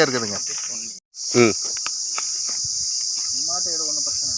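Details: Cicada heard calling from a Manila tamarind tree: a continuous, high, shrill hiss that never breaks, with a man's voice talking briefly over the first second and a half and a few soft clicks later.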